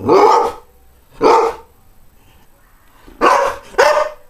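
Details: Greyhound dog barking: four loud, harsh barks, two spaced at the start, then a pause, then a closer pair near the end, with a quiet background.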